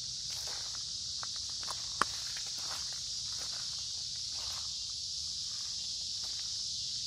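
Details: Cicadas droning together along a woodland creek in warm, humid summer weather; the shrill hiss holds steady the whole time while scattered footsteps and one sharp snap stand out.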